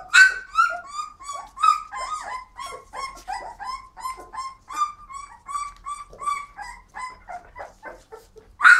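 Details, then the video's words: Indoor Flat-coated Retrievers producing a steady stream of high, quavering whines and short yelps, each dipping in pitch, about two per second, ending with a louder sharp yelp. "they walk, bark and scream"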